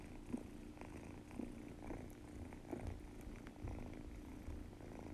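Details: A young Munchkin cat asleep and snoring loudly, its nose only sounding stuffed: low raspy snorts arrive about every half second to second, steady and rough, with a faint whistling edge and a quiet room behind.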